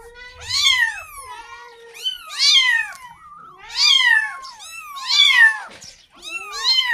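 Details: Kitten meowing to call its mother, asking for milk: high, arched meows with rich harmonics, five calls roughly every one and a half seconds, each rising then falling, in a quiet setting.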